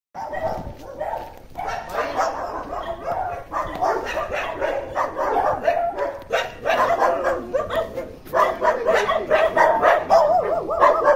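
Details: Indian dog reunited with its owner after 13 months, giving a near-continuous stream of high, rapid yips and whines in quick bursts, with pauses between volleys and faint human voices in the background.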